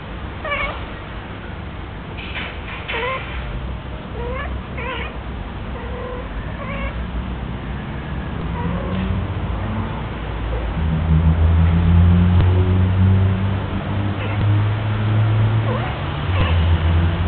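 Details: A female house cat, Minnie, on her first heat: a series of bending meows and yowls fills the first half, then a loud low droning hum swells and dominates the remainder.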